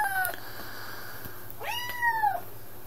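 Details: Highlander kitten, 10 weeks old, on its second day in a new home, indoors: one clear meow with a falling tone after a brief earlier cry, while a woman talks softly to it.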